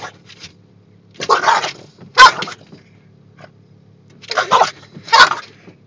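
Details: A Boston Terrier in Oklahoma lets out harsh, snarling barks in pairs of bursts, going into attack mode at windshield wipers once they start moving.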